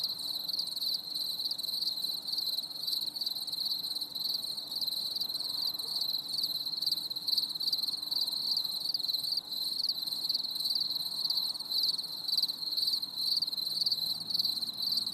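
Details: Cricket chorus on a stormy summer evening, a continuous high-pitched pulsing trill that runs unbroken for the whole stretch over a quiet low rumble.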